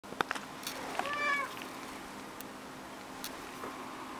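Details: Cat giving a single short meow, slightly rising then falling, with a few clicks and taps and a faint steady hum in the room.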